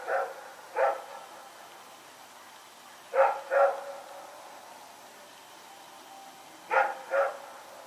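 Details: Night barking by Rex, a dog running around, recorded 21 September 2018; barks come in doubled pairs, three pairs spread across several seconds, with faint background hum between.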